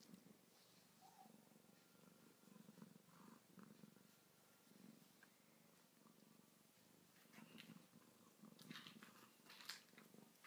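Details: Domestic cats, two together, sleeping then waking up; quiet continuous purring rumbles low under light rustling and small movement noises toward the end.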